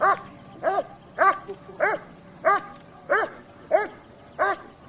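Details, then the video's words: Dog giving a steady run of eight short, harsh barks, each roughly every 0.6 seconds, with some low background hum. "Dog barking, sound of various species of dogs!"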